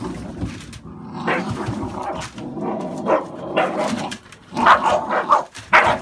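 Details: Barking from American Staffordshire Bullies, a breed with puppies born 11/16/2017: irregular harsh woofs, some with a growly edge, clustering more densely toward the end over a steady low hum.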